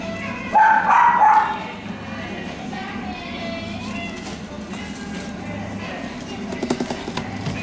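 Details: Female black-and-tan Miniature Pinscher puppy born 20 April 2016, kept at a pet shop; one loud, high, wavering whine-yelp near the start, then quiet room noise with a low steady hum and faint clicks.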